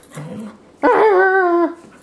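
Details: Airedale Terrier indoors, the dog being coaxed to make sound: a single drawn-out whining howl about one second long, steady then sliding down, preceded by a soft low whimper.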